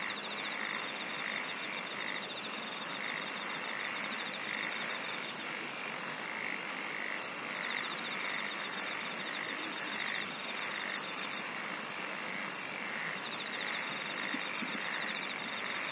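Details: A chorus of singing insects: short piercing high buzzes repeat in a fast regular rhythm, under and over a continuous ticking trill. Lower pulsed calls and a steady wash of hiss carry on throughout.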